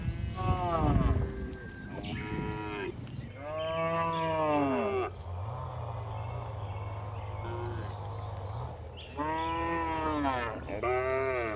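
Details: Tame cows being herded back to the barn on a village farm in the afternoon, giving repeated mooing calls: several harmonic moos, some rising then falling, separated by a steady low rumble.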